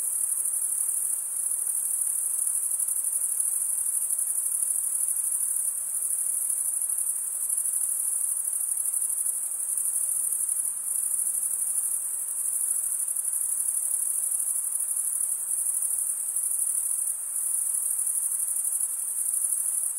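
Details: Steady chorus of male crickets stridulating, a sustained, very high, buzzy trill at constant volume throughout, with slight ripples in loudness but no breaks and no other animals.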